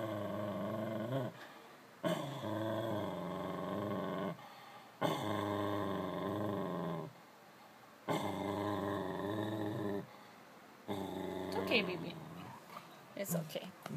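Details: Scottish Terrier barking at his own reflection: drawn-out, tonal, growly vocalizations of one to two seconds each, about five in a row separated by short pauses, with a person talking soothingly to the dog in between.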